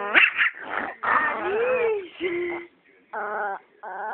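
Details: Penny, a Chihuahua shown as evil, gives sharp yipping barks, then a rising-and-falling whiny growl, followed by two short moaning growls after a brief pause.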